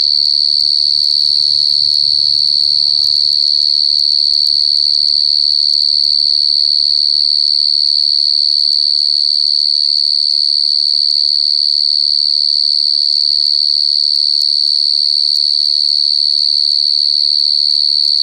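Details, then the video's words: A wild cricket sounding one long, loud, high-pitched trill throughout, with brief faint voices early and a low steady hum. "Suara jangkrik paling nyaring"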